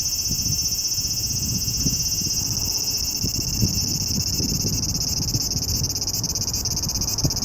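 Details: Summer cicada in Japan, recorded in July, giving a steady, unbroken high-pitched buzzing drone with no clear pulses, above soft low rumbling and knocking noises.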